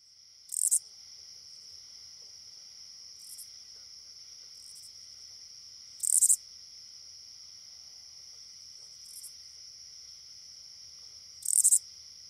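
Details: Oblong-winged katydid (Amblycorypha oblongifolia), common in Illinois and the Midwest, gives short, dry, raspy two-part bursts every few seconds over a steady insect hum.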